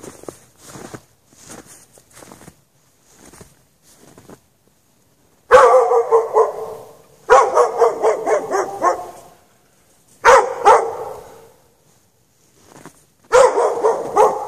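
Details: A dog chained outside in the snow without shelter at night, between 8 PM and past 11:30 PM, barking in bursts of several rapid barks separated by pauses of a few seconds, with faint softer sounds between the bursts.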